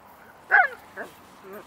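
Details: West Highland White Terrier playing hide and seek with other dogs of different sizes: one sharp, short bark followed by two fainter, softer yips within about a second.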